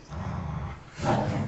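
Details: Pet Labrador Retriever play fighting at home, giving a steady low growl that turns rougher and louder toward the end. Human voices are nearby.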